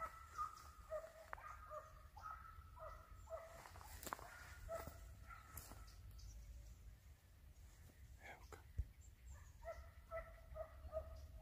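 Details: Hunting dogs on a hare hunt in open country, flushing and sighting the hare; distant, repeated yelping barks with ringing harmonics come in bursts, with wind rumble throughout.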